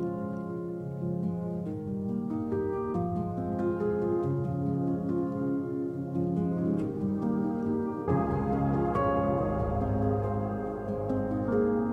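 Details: Gentle ambient music of layered harp-like and chiming tones, changing texture partway through, with no animal sound.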